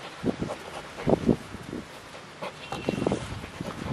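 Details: Siberian Husky; play growls; puppies play fighting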